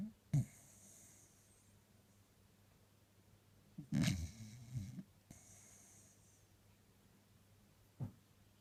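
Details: Sleeping Jack Russell Terrier dreaming on the couch on a Sunday: a quick low snort, then a longer grumbling snore after a few seconds of quiet, and a final short snuffle.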